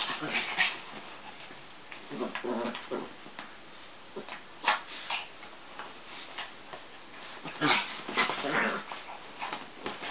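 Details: Chihuahuas Joey and Papi wrestle in a work room, giving brief gruff growls and whiny yips in scattered bursts, loudest near the middle and in a cluster late on, over constant pattering and scuffling.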